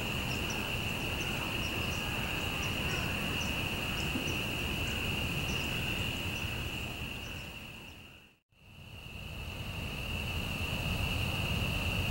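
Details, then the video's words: Spring peepers (Pseudacris crucifer), a winter-breeding frog in Southern Louisiana, call in a dense chorus, high piping notes blending into one shrill, steady ringing. "Spring Peeper (Pseudacris crucifer) Calling"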